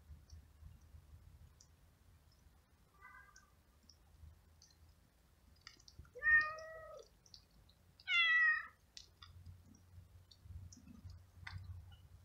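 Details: Hungry stray cat living on the street, met while walking in the rain and seen eating flying ants, gives a faint meow, then two loud, drawn-out meows a couple of seconds apart. Light clicking and low background rumble.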